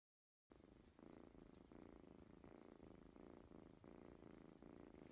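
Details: Domestic cat or kitten purring steadily after a brief silence, a low rumbling purr pulsing in about seven breath cycles of roughly 0.7 seconds each, quiet indoor setting.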